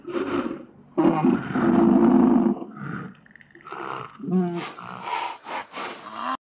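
A koala gives a deep, rumbling bellow, snoring and belching in rough, rapid pulses.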